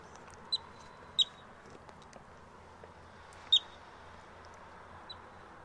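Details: Yellow-bellied marmot; alarm call; warning others of danger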